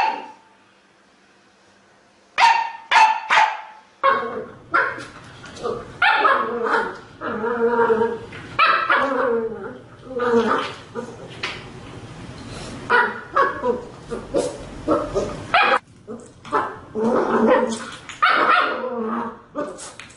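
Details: Indoor pet dog, in a scene where dogs are said to be fond of lemons, barks repeatedly and excitedly in rough, uneven bursts with some whining tones, after a brief high tone at the start; a person's voice appears now and then.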